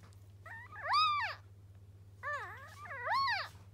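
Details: Newborn puppy, a dog's first pup, crying just after birth: two sets of high, squealing cries that rise then fall, with a steady low hum underneath.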